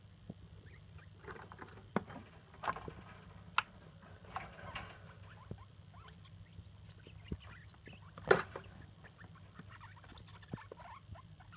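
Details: Degus, a mother and her young daughters, chattering together with soft, brief squeaks and chirps scattered through the clip, a few sharper peaks, over a steady low hum.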